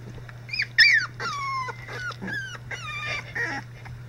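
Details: Icelandic Sheepdog puppies at three weeks old give overlapping high squeals and yelps, several sliding downward in pitch, one sharp louder yelp early, all over a constant low electrical hum.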